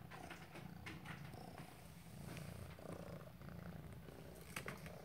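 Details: A Maine Coon cat purrs with a steady, low, rumbling vibration while chasing "prey" during play.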